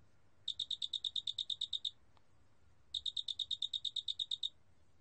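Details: Two pulsed trills from a cricket, each roughly one and a half seconds of quick, bright, high ticks repeated about seven times per second, separated by a short pause.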